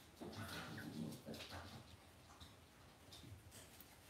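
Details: Cavalier King Charles Spaniel puppies in an indoor home puppy pen give soft, brief whimpering and yelping sounds over the first second and a half, followed by quieter rustling and shuffling.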